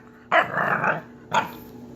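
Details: An English Bulldog puppy that likes to "talk" gives a drawn-out, grumbling vocal moan followed by a shorter second one while being coaxed to sit up.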